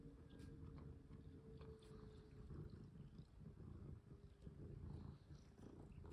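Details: Pet cat indoors, played with and fitted with a collar, purring in a low, even rumble, with soft clicks and rustling handling noises over a faint steady hum.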